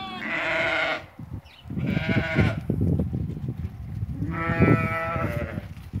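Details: Ewes that have lambed, one of eighty offered for sale at Fquih Ben Salah: two loud, quavering harmonic bleats, one at the start and one after four seconds, over low rumbling crowd and handling noise.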